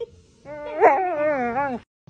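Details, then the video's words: Husky reacting to seeing fire for the first time; a single drawn-out, wavering howl-like whine lasting over a second. It rises, then wobbles and slides down before stopping abruptly. "Husky seeing first time a fire"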